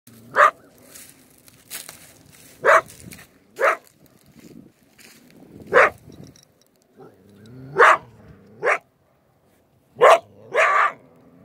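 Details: Coyote caught in a dirt hole set on a creek bank during beaver trapping: short, harsh barks and yelps in ones and pairs, about a second or two apart, with quiet growling between them in an otherwise still setting.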